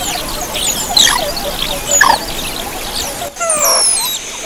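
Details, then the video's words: A calling group of Javan mongooses: sharp, high-pitched squeals and short falling chirps, a louder pair of notes near the first and second seconds, then more squeals after a brief drop in background noise. "SUARA PANGGILAN GEROMBOLAN GARANGAN SAWAH"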